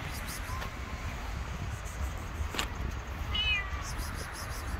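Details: Hungry stray cats living on the street run toward a familiar voice calling from afar; a faint mew early on, then a short, higher meow with clear overtones near the end, over steady low traffic rumble.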